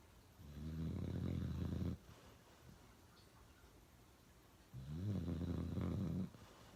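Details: Uno, a dog, snoring heavily: two drawn-out, gravelly snores of about one and a half seconds each, with quiet breathing between them.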